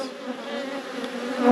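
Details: Busy honey bee hive humming in a bee yard, an even banded drone that grows louder toward the close.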